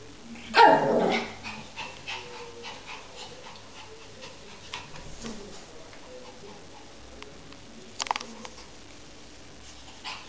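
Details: A 12-week-old Lhasa Apso puppy playing with its reflection in a mirror gives a sharp, high yip, then a second short bark amid soft scrabbling.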